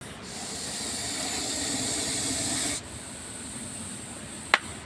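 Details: Rescued Russell's viper in India, a venomous snake, hissing: one steady, breathy broadband hiss of about two and a half seconds that cuts off sharply, then quieter background and a single click near the end.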